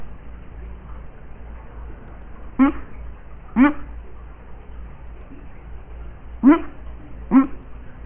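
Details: Dreaming in her sleep, a female dog makes four brief, breathy yips in two pairs after a quiet start, each a short falling squeak, against a faint steady hum.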